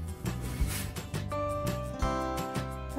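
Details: Short stretch of rhythmic music with plucked, guitar-like notes and soft percussive taps, no animal voice present.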